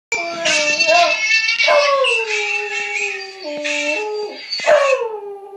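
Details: Beagle howling indoors: long wavering tones with rich harmonics, some notes sliding down and others held flat, broken into several separate drawn-out phrases across the clip.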